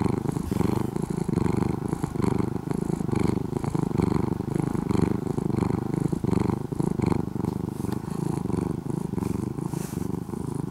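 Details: Former stray orange-and-white kitten, now nearly a house cat after two years of care in Japan, purring loudly like an engine: a dense, low rumbling buzz with steady pulsing texture throughout, occasional faint rustles.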